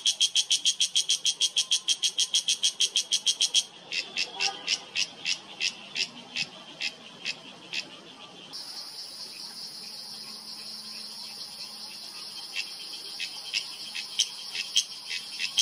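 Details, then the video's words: Loud cicada of Himalayan oak forest, Uttarakhand, September 2023: strong rapid buzzy pulses at first, then weaker spaced pulses, giving way to a steady high hiss with scattered clicks. "Cicada in yellow: not so perfect camouflage for loud insect whose call reverberates in mountains"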